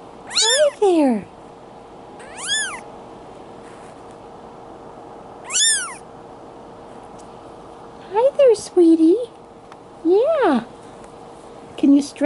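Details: Male Bengal kitten two weeks old, Madison, Wisconsin, July 2016: three sharp, piercing mews, each rising and dropping, spaced about two seconds apart, then a woman talking gently in a higher cooing voice over a faint background hum.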